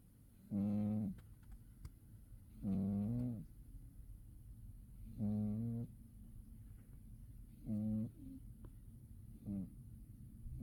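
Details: Sleeping house cat in winter, snoring steadily: five rasping, low-pitched breaths about every two seconds, the last ones shorter and softer, over a quiet room background.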